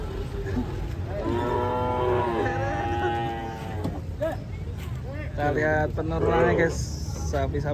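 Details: Agitated cattle bellowing while being unloaded from a truck: a long harmonic moo lasting about two seconds, then a shorter wavering moo a few seconds later, over a steady low rumble and some voices.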